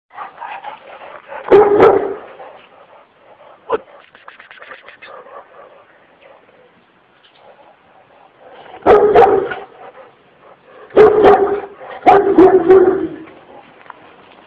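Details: Kangal dog, described as Kurdish, named Sub Zero and very aggressive, wanting to attack; deep loud barks in a burst near two seconds, then three clustered barks later, with quieter murmuring background between.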